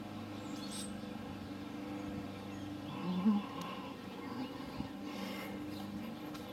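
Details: Honey bees, which suddenly appeared in a backyard in Kingsville, Ontario, on May 2, 2012, give a steady, low droning hum that swells slightly midway.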